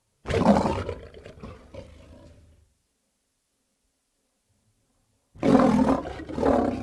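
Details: Lion roaring: a deep, rough roar fading over about two seconds, a pause of silence, then a second loud, raspy roar begins.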